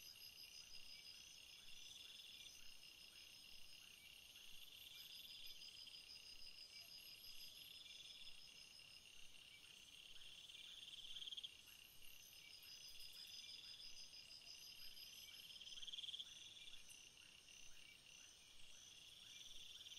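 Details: Night chorus of crickets: continuous shrill layered trills, with some bands swelling and fading in long phrases, a few short pulsed bursts, and faint rhythmic lower ticks throughout.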